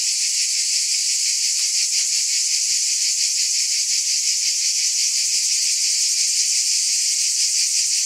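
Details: Steady, high-pitched droning of cicadas, grainy and faintly pulsing, holding one level for the whole stretch, with only brief faint ticks beneath.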